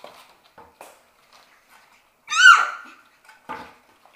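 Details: Shetland Sheepdog puppies, a six-week-old litter playing in their play room; one sharp, high, harmonic yelp rises then falls in the middle, framed by soft scuffles and faint tapping indoors.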